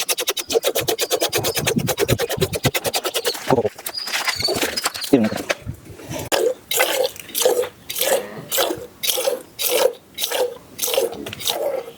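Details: Rapid, regular splashing pulses of liquid open the recording, followed by talking and then slower, evenly spaced squirts about every half second.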